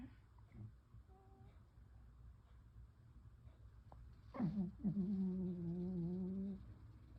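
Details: Buddy, a pet cat, snoring noisily during a lunchtime nap indoors: one drawn-out, hum-like tonal snore lasting about two seconds with a slight wavering pitch, preceded by faint, soft breathy sounds in a quiet room.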